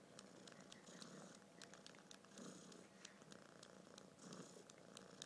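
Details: Purring kitten, held by the head for filming: quiet, steady rumbling that rises and falls with each breath, accompanied by scattered light clicking and rustling noises.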